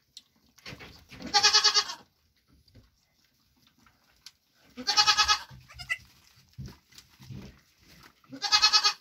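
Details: Nigerian Dwarf goat doe, mother of June 2023 triplets, at grain time after hoof trimming; three loud quavering bleats about three and a half seconds apart, with low clattering and munching sounds in the gaps.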